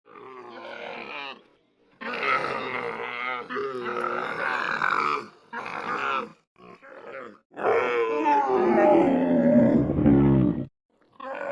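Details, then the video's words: Camel, recorded as a real animal in 8D audio: a run of rough, harmonic groaning bursts separated by short silences, the last and longest a drawn-out gurgling bellow falling in pitch. "CAMEL SOUND - CAMEL SOUND EFFECT - SOUND OF CAMEL - NOISE OF CAMEL"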